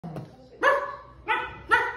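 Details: Newfoundland puppy "talking" to her owner, giving three short, nasal, yowling barks, the last two close together, after a faint low sound at the start.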